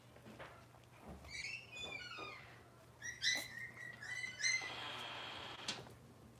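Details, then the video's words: Robin's litter of Cavalier King Charles Spaniel puppies indoors on a kitchen camera; bursts of loud, thin, wavering squeals and whines, several overlapping and rising then falling, ending in a brief rustle, over a low hum. "Cavalier Puppy Live Stream: Robin's Puppies"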